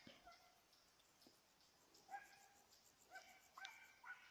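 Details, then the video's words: Hunting Petit Basset Griffon Vendéen on a rabbit's trail, dated 5 October 2014. Quiet rustling first, then brief yelping bays spaced about half a second apart toward the end. "petit basset griffon vendeen tras conejo"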